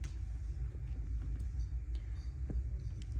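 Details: A low, steady engine-like rumble dominates, with faint indoor clicks and no animal calls.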